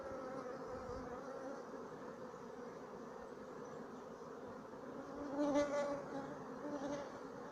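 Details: Many Sicilian black bees of a 2017 colony humming steadily, the low buzz swelling louder around the middle-to-late part with a brief higher whine, then settling back.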